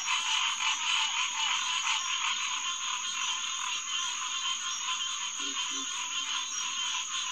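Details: A dense night chorus of green tree frogs (Hyla cinerea) at a refuge headquarters pond on 2 June 2021 around 9:10 pm: many nasal, honking calls overlapping into a steady roar; a pig frog, common gallinule and alligator grunt occasionally join.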